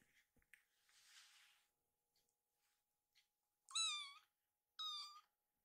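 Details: Rescued baby kitten, grown sleepy, pleading with its mother for bedding: soft rustling and faint clicks, then two sharp, bright meows about a second apart, each short and slightly falling.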